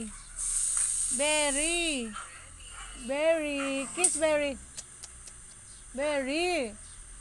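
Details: Siberian Husky arguing: three drawn-out, wavering howl-like whines with rich harmonics, each about a second long, rising then falling in pitch, separated by short pauses and a few small yips.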